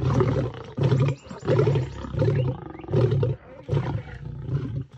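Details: Lioness feeding on an impala carcass in a tree in South Africa while a lion attempts to climb up and take it; rough, rumbling growls repeated in steady pulses, deep and grating, with a slight fade at the close.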